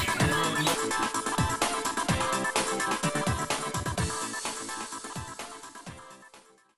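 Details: Electronic dance music with a steady beat fills the clip, fading out at the end, with no animal sound audible.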